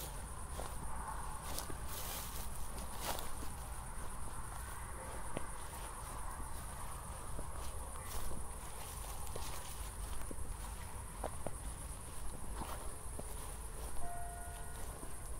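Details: Crickets chirping at night in Zwettl, Austria, just after a thunderstorm, recorded in 24-bit stereo on a walk with city lights in the distance; a steady high shimmering trill runs throughout, with occasional footsteps and low rumble beneath.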